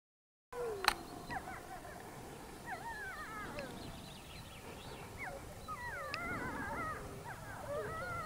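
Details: Several wolves howling together in Haute-Savoie, France: overlapping wavering, sliding howls with short yips and yelps layered at once, moderately distant, over a steady low background rumble.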